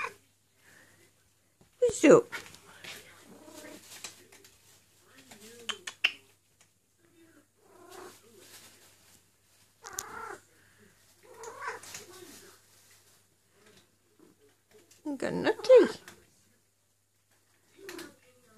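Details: Eule, a female cat in heat, calling for a mate indoors: loud, wavering yowls with a strong tonal core, separated by quieter rustling and pauses. A person's voice is heard softly between cries.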